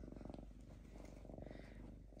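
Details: A calm lynx kept indoors purrs steadily, a low rumbling throb with dense pulsed layers, continuous and even throughout, faint room noise behind.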